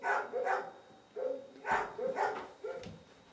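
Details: Sammy the cat at Sanctuary One's Cat Cottage, a care-farm cat house, chases a laser pointer. Several brief, level or slightly falling meows arrive in an uneven run, with faint room noise and a soft knock.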